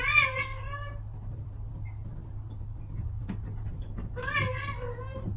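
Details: Pet cat meowing indoors: two drawn-out harmonic meows, one at the start and another near four seconds, with a steady low hum underneath.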